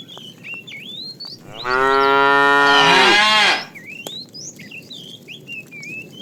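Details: Cows herded to green pasture at morning; one loud moo of about two seconds that starts low and rises into a strained, bright ending, amid continuous chirping birds.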